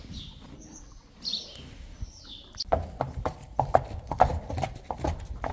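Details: Friesian yearling colts and fillies led out to pasture, including Rising Star; brief faint high sounds early, then irregular hollow hoof clip-clops at a walk over the last three seconds, with low rumbling background.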